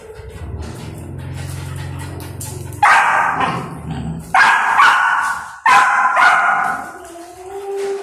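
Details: An experienced adult dog handling an aggressive golden retriever puppy. Low background hum, then three loud, rough barks spaced about a second and a half apart, followed by a fading, drawn-out whine.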